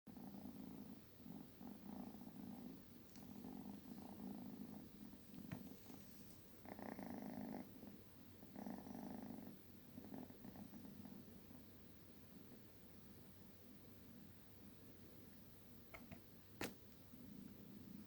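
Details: Sleeping 12-week-old kitten snoring loudly, a steady low rumbling drone with each breath, swelling into louder, brighter stretches near the middle and ending with a single sharp click.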